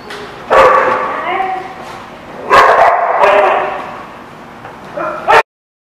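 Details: Dog barking, recorded 6/12/17: three loud, sharp-onset barks with a ringing, tonal quality, spaced roughly two seconds apart, the last short and clipped, with human voices faintly mixed in.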